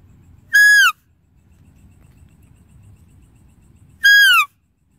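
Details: A deer gives two piercing, harmonic whistled calls that drop in pitch toward the end, spaced about three and a half seconds apart, over a quiet low background rumble.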